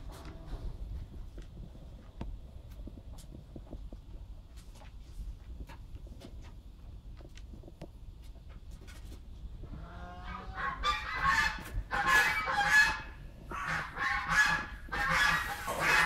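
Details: Arctic fox (Vulpes lagopus), call.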